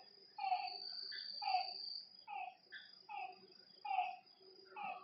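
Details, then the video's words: Frogs calling at night by a lakeside: short, tonal, slightly downward notes with bright overtones, several overlapping voices at roughly one-second intervals, over a steady high insect trill. "Lakeside night creatures and frog sounds"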